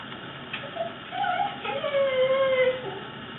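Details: Fuji the fluffy Corgi voicing one of his weird noises: a long, drawn-out whine that wavers and then holds a steady mid pitch for nearly a second before fading, over a faint hiss.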